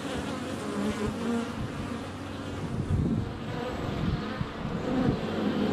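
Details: Honey bees flying about a hive entrance on a sunny February day, a GoPro Hero 7 Black under a foot away with bees landing on it; a murmuring hum with occasional soft knocks and brief tonal swells.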